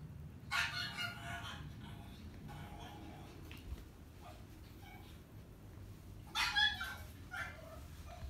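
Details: Chihuahua barking while shown old footage of itself as a young dog: a rough bark burst opens, faint sounds follow through a quiet middle, then another short cluster of barks near the end, with soft background music.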